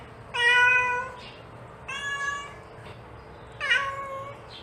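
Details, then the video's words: Mother cat calling her kittens: three drawn-out, harmonic meows about a second long, each slightly falling at the end, spaced over roughly three seconds, with a quiet low hum behind. "The Sound of a Mother Cat Calling Her Kittens"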